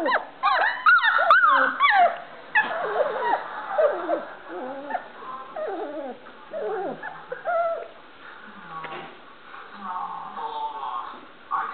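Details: Playing Standard Poodle puppies learning to bark: loud squealing yips at first, then a tangle of softer whines, whimpers and small growls fading toward the end.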